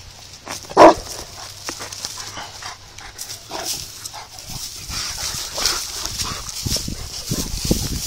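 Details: A Saint Bernard frightened by a small rock in the water lets out a single sharp bark early on, then quiet rustling, background music and a steady hum.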